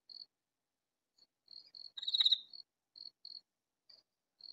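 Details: Katydid calling in a vegetable garden; a single loud raspy burst in the middle, surrounded by soft, brief ticking pulses spaced irregularly.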